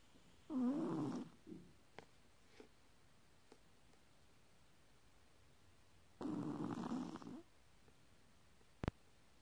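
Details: A sleeping Chihuahua snores: two rough, breathy, nasal snorts, each about a second long and roughly six seconds apart, with small sniffs and a sharp click in between in a quiet room.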